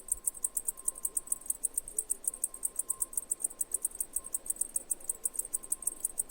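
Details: Cicada giving loud, high, sharply pulsed chirps about six per second, steady and regular, with a faint constant mid-pitched hum underneath.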